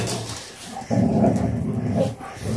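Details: Standard Poodles playing, three breeding females with Onyx: a low, rough, sustained growling rumble lasting about a second, then fading, with low household background noise.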